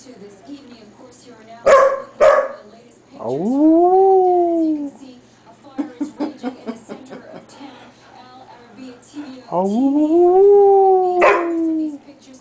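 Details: Male Standard Poodle, recorded in 2003 while teasing and playing tug with a female dog companion: two drawn-out, arching, tonal howl-like calls that rise and then slowly fall, separated by sharp knocks and clatter from the play.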